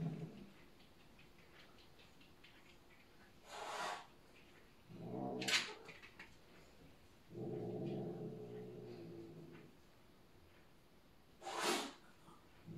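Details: Bengal cat settling rank order with another cat, asserting itself as the new boss: low droning growls broken by sharp hissing spits, indoors in a small room.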